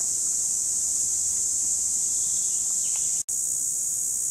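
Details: Cicadas in 2017 keep up a dense, high, sizzling drone. The sound cuts out for an instant just after three seconds and then resumes at full strength.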